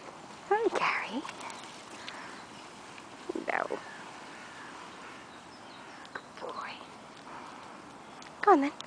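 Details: Gary, a shelter dog awaiting adoption at the Mayhew Animal Home, gives four separate whining cries spaced a few seconds apart. Each is a brief sliding tone that falls or arches in pitch, heard over a faint background hiss.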